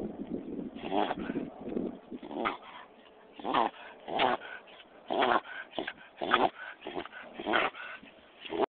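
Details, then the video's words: Pet dog worked up with excitement, uttering irregular hoarse whimpers and snorting yips, quieter stretches between louder bursts. "Annoying Dog Making Weird Noise"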